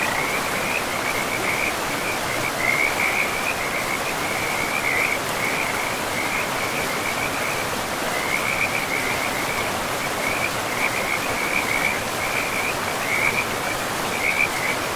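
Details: Frogs calling in a pristine forest beside a river: a steady train of short raspy pulses around one pitch, repeating through the whole stretch over a constant rushing wash of flowing water.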